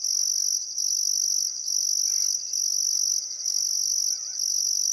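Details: Sunset crickets beside the Barcoo River, Welford National Park, Australia, in summer: long high buzzing trills broken by brief gaps, about five pulses here, with a faint bird whistle behind.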